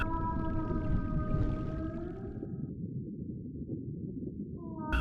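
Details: A gray whale gives long, even underwater moans at a steady, slightly falling pitch before fading, then starts a second rising call, over a deep continuous rumble; gray whales migrate between Alaska and Mexican lagoons, where females calve.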